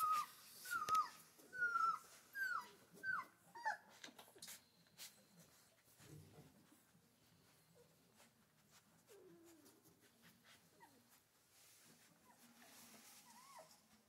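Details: Central Asian Shepherd mother with her puppies, indoors: a quick run of six high, thin whimpers, each sliding downward, fills the first four seconds. Softer, lower whines and rustling follow, with a brief rising whine near the end.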